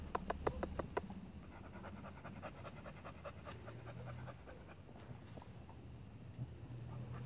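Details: Pregnant female American Bully panting in quick, rhythmic breaths, strongest and most regular during the first second, then softer and less even, with low background rumble.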